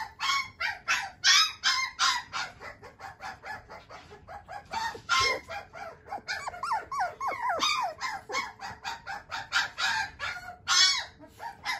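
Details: A male Shiba Inu puppy with a JKC champion father keeps up dense, rapid yapping: harsh, noisy yelps mixed with thin falling whines, loud and almost continuous throughout.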